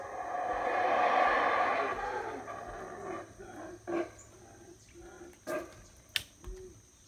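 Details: Morning routine of howler monkeys in the jungle of Belize at Howler Monkey Resort, rainy morning: a booming, rasping roar peaks early and fades, followed by a series of separate deep grunts and a sharp click.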